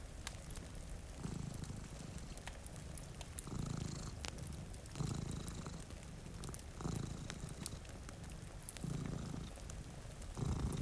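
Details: Two cats sleeping in front of a rainy window beside a cozy fire purr in a low, steady rumble that swells in cycles roughly every two seconds, with faint crackling and light rain patter behind.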